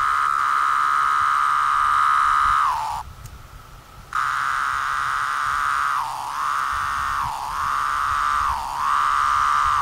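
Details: Brood V 17-year periodical cicadas, moulting in 2016 in Cleveland, Ohio, drone in a steady, high-pitched chorus with brief downward slurs every second or so.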